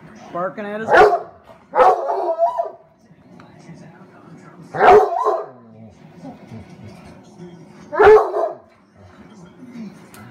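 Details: A nearly one-year-old, 95 lb male Redbone Coonhound in Syracuse, NY barks at his bone in the morning, giving loud, deep barks and yelping bays in bursts a few seconds apart.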